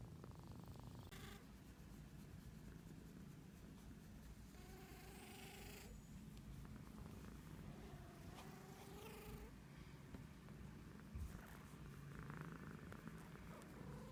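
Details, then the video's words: Cat sniffling over a constant low rumbling purr, with several airy snuffling breaths, some bearing thin nasal whistles that rise and fall, and a few soft clicks and brief brighter squeaks near the end. "Cat sniffles"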